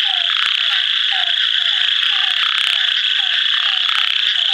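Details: An ornate narrow-mouthed frog near Kadur, India, calls within a constant high-pitched buzzing chorus, with short low descending notes repeated about every half second.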